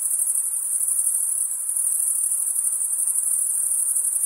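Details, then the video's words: Insects calling at night: a steady, high-pitched shrill trill that holds without pause throughout, with a faint softer hiss underneath and no other sounds. "Night Insect Sound"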